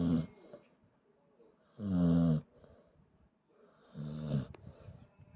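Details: Pet dog fast asleep and snoring after lunch in an air-conditioned room: three loud, low, buzzy snores about two seconds apart, with quiet breathing between them.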